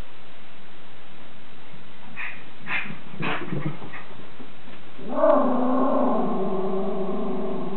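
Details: Captain Jack Sparrow, a Schipperke on guard at home, gives a few quick barks, then a sustained, tonal, whining howl that holds steady for about three seconds over a low background hum.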